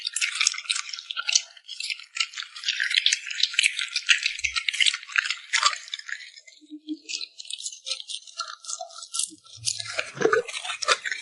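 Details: Cute puppy noisily smacking its lips over food, a rapid crackle of bright wet clicks that thins out briefly before resuming, with a few soft low taps near the end.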